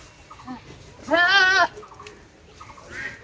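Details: Goat on a farm, in a setting about breeding bucks: one loud, wavering bleat of about half a second, with fainter short calls before and after against a low background hum.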